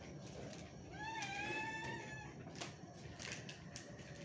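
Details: Cat at lunchtime being fed goat milk gives one drawn-out meow lasting about a second, rising slightly then held steady, with clear overtones above a noisy household background and a few clicks.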